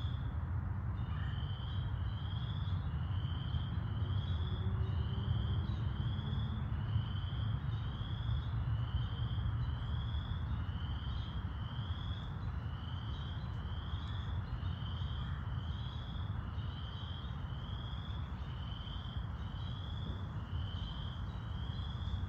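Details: Chorus frogs calling in Wentworth Woods in May 2021: short, rising, high notes repeat about twice a second in a steady series, over a constant low rumble of traffic.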